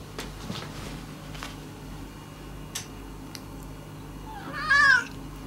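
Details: Mame-chan, a female former stray cat, approaching the resident cats indoors and trying to make friends; a single short rising-falling meow near the end, after a quiet stretch with faint household knocks.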